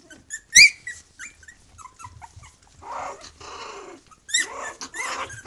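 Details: Three-week-old puppies of a litter kept with their mother Bhoomi, loud and vocal: a sharp yelp opens, then short high squeaks and whines, broken by stretches of rustling and scuffling movement.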